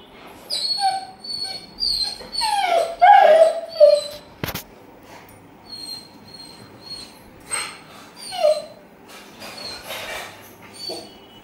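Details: A male Rottweiler, happy and excited, whines in high, wavering bursts as he greets his owner returning home from work.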